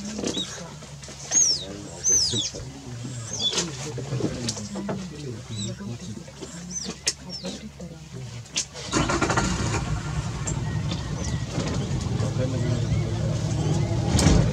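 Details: Otters upset by a crocodile alarm-call while driving it off after entering the water: a run of high, thin, downward-sliding squeaks in the first seconds. Then a loud engine starts up and voices join, covering the rest.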